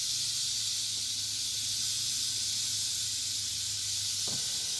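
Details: Eastern diamondback rattlesnake (Crotalus adamanteus) rattling: a continuous dry, hissing buzz, high and steady for the whole stretch, with a faint low hum beneath and one brief thump near the end.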